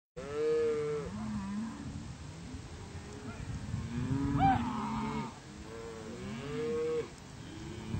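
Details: Cattle being moved by riders to spring range, several animals mooing: a steady drawn-out low moo near the start, a short rising bawl in the middle and another long moo near the end, with people talking between calls.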